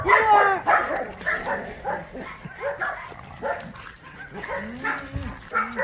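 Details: Abandoned dogs at play at Mindeulle Shelter, a rescue shelter for abandoned dogs in Yangsan, South Korea; a run of short, sharp barks and yips in quick succession, loudest at the start, with human voices talking in the background.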